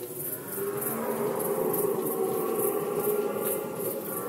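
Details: Red deer in the Polish rut season of 2020, heard as a steady, moderately faint, drawn-out moaning roar sustained across the whole four seconds.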